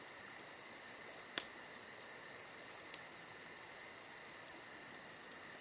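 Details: Summer night crickets trill steadily, high and rapidly pulsed, filling the background, while a campfire gives a few crisp crackling pops, one sharper than the rest.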